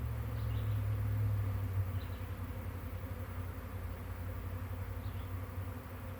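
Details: A swarm of honey bees, part of a hive departing, May 9, 2023; a thick, low buzzing drone, loudest at the start and then settling into an even, continuous hum.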